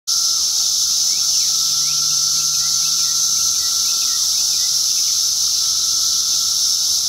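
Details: Periodical cicada, Magicicada septendecim, recorded while a cicada is ovipositing; a dense, steady high-pitched chorus drone fills the whole recording over a constant lower whine, with faint short bird chirps scattered through.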